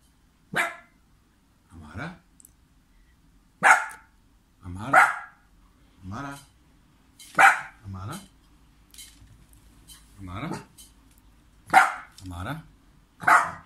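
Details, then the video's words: Dog in Serbia barking while its owner pretends not to see him: about ten sharp, loud barks spread over the stretch, some single and some in quick pairs, with short quiet gaps between. "Adorable Dog Barking As Owner Pretends Not to See Him"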